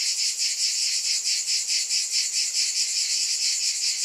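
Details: Cicada buzz, a harsh sustained high whine swelling and fading in slower, rolling waves of about one per second.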